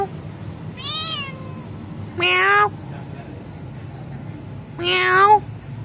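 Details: Kitten meowing in reply to its owner at home: a higher thin meow followed by two loud, drawn-out harmonic meows about three seconds apart, each rising then falling slightly, over a low background hum.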